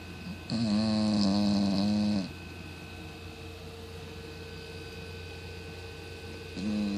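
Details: A 17 lb female Cocker Spaniel snores loudly at night, a long rasping, harmonic breath followed by a quiet pause.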